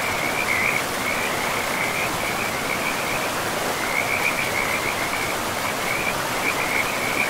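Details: A pristine forest river with frogs, their fast rattling croaks coming in repeated bursts with brief gaps, set against the steady roar of running water.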